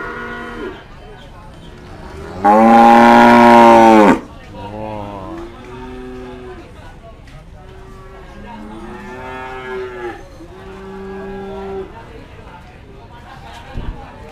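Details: Market cattle at Pasar Sapi Kliwonan, Kediri, East Java, Indonesia: a loud, rough, full-throated bellow of almost two seconds, followed by a string of softer, shorter moos that bend up and down, with quiet gaps between them.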